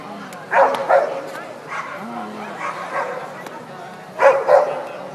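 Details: Old English Sheepdog show dog named Valubal Fitch Blake, described as happy, giving two pairs of short, sharp barks, one pair near the start and one near the end, with quieter voices murmuring between them.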